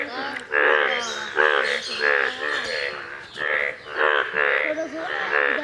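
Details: Indian bullfrogs, yellow in colour, calling in a pond: a handful of drawn-out, reedy, buzzing croaks with short pauses between them.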